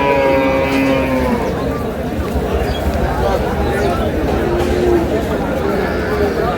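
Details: Cattle at Aftabganj market in Dinajpur, April 11, 2026, cows with calves on sale: a fading, drawn-out moo opens, mostly buried under busy chatter and bargaining voices of the market crowd.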